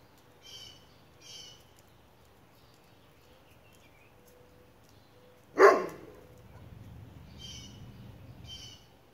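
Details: Dog described as an imitation Ridgeback barking at metal chickens: a single loud, sharp bark bursts out mid-recording against a quiet background, with faint high chirping calls before and after it.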